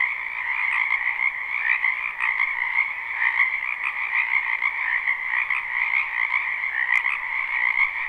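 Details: Numerous frogs in a spring wetland behind a home, recorded live: continuous overlapping croaks forming a steady chorus, gently swelling and fading, with one brief sharp click near the end.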